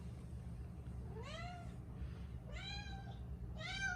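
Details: Talkative five-year-old female Siberian cat at home in Canada, sharing the house with two other cats: three clear meows rising in pitch, spaced about a second and a quarter apart, with a low background hum.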